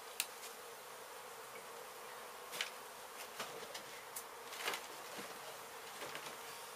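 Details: Honey bees from a hive struck by construction crews at an abandoned home being demolished in Mission, Texas, during a rescue and relocation; a steady, dense hum runs throughout, broken by scattered sharp clicks and knocks of handling.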